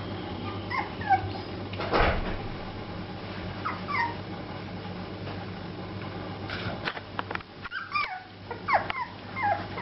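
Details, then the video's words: Chubby Shar Pei puppies playing together: short high whimpers and yips, some rising then falling, scattered through the clip with scuffling and thumps of play, over a steady low hum. "Chubby Puppies Playing - Cute Shar Pei Puppies"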